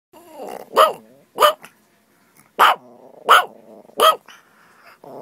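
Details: Pet dog barking while playing with a friend: five loud, sharp barks spaced under a second apart, with low growling and whiny tones between them and a brief bark at the end.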